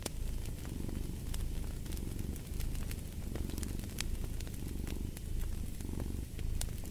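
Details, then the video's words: Cat purring steadily in a low, rumbling drone that swells and fades in breath-length cycles about every second, with sharp crackles and pops from a fireplace throughout. "Fall asleep to the Purring of a Cat"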